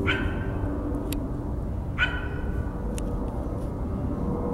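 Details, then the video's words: Dog barking, with a coyote also present: two abrupt, harmonic barks about two seconds apart over constant low-pitched background rumble, with a couple of faint clicks. "coyote and dog bark"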